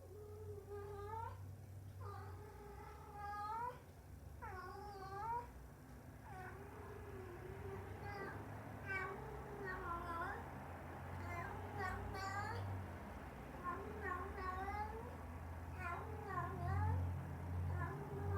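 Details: Female pet cat caught on a home cat camera making a crying noise: a series of drawn-out, wavering meows, each rising then falling, repeated every second or two over a steady low hum.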